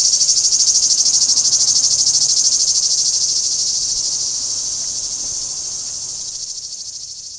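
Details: Shrill cicada singing at Kardamyli, 2013: a fast, evenly pulsed high buzz that starts loud and gradually fades away over the last few seconds.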